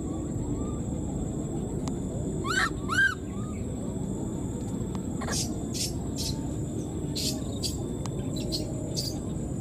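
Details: Newborn wild monkey separated from its mother calls out with two loud arched, rising-falling squeals close together near the start, then stays quiet while clicks and rustling handling noises sound over steady hiss.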